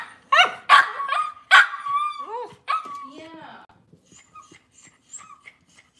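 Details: Kitchen-kept Cavalier King Charles Spaniels on a cloudy Monday morning. A burst of high, yappy barks turns into drawn-out, wavering whines and short yelps, then fades to faint chirpy squeaks in the background.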